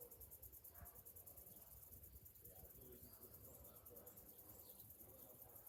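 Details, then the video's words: Cicadas on a summer morning: a steady, high, finely pulsed buzz runs unbroken through the whole stretch over a low background rumble, with faint scattered tones in the middle range. "Morning summer cicadas sounds"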